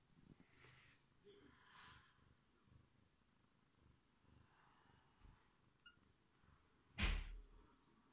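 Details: Mother cat feeding her kittens: a low continuous purring rumble fills most of the recording, with a brief faint squeak near the start and a sharp loud knock or rustle toward the end.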